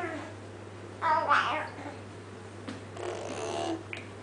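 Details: Munchkin cats Max and Audrey chatting indoors, one cat talking while the other answers: a short rising meow near one second, then a longer, softer, wavering mew around three seconds, over a faint electrical hum.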